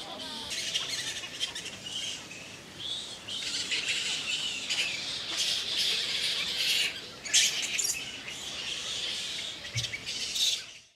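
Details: Indian flying fox at Keoladeo Ghana National Park, India, in November 2023; dense, harsh chattering and screeching from many overlapping callers runs throughout, with louder squabbling bursts near the middle and end.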